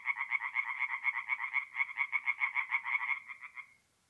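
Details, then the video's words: Singing tree frogs at night, forest pond, north-east Italy, mid-April: a run of about twenty evenly spaced, sharp nasal pulses over three and a half seconds, fading out before silence. "relaxing forest pond by night with singing tree frogs"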